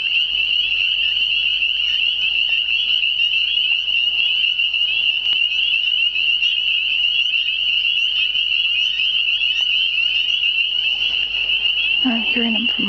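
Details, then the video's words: Unseen frogs singing in spring, spring peepers among them, forming a steady, piercing high-pitched chorus of countless overlapping peeps; a brief low human voice enters near the end. "Spring Singing frogs"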